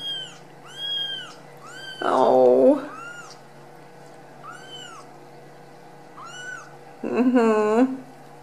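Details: Ragdoll kittens just out of the nest, raised indoors at a home cattery in central Kansas; thin, high arched mews repeat roughly once a second, while a person talks over them twice.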